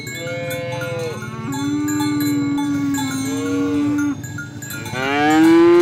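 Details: Oxen being herded to the farm barn, a cow calling friends to the pen; long drawn-out moos, steady and level in the middle, then rising at the end, with cowbells ringing throughout.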